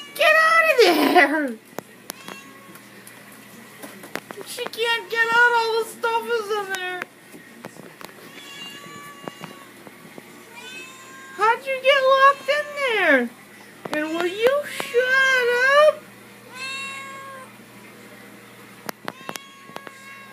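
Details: Female house cat meowing insistently indoors, begging for treats she knows are kept in a cabinet; repeated harmonic meows, some rising then falling, come in bursts between pauses, with a woman talking to her in a small room.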